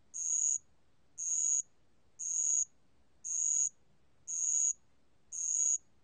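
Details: Steady, high, bell-like chirps from a bell cricket, each lasting about half a second and evenly spaced roughly one second apart; six chirps in a clean recording from a 2020 national archive.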